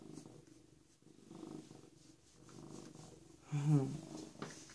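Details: Low, even purring from PeeWee, a rescued, recently spayed female cat of about a year and a half, interrupted near the end by a louder brief voiced sound.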